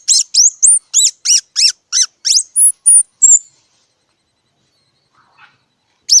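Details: Squirrel giving a fast series of about a dozen loud, shrill, downward-sweeping squeaks, then a long silence and one final squeak.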